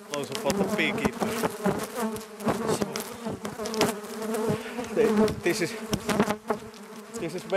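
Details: Italian honey bees from a very active hive in Nuuksio National Park, Finland, give a dense, rising-and-falling defensive buzz, in attack mode after their wooden hive was replaced with a polystyrene one.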